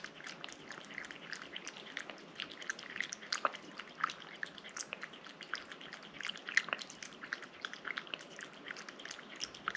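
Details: Indoor cat licking and chewing a wet treat up close; scattered soft wet smacks and clicks with a few sharper snaps, irregular rhythm, quiet room.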